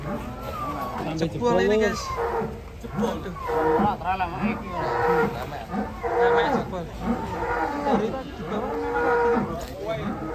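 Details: A raging cow being loaded onto a truck, so forceful it breaks the truck bed. Gives repeated drawn-out harmonic moos, some rising and falling, roughly every few seconds, over constant crowd and handling noise.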